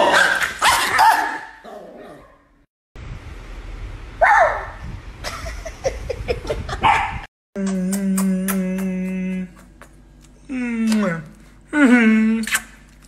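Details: Chihuahua from a funny dog compilation, opening with loud barks, then a noisy stretch, then high harmonic yips and short whining cries in separate bursts.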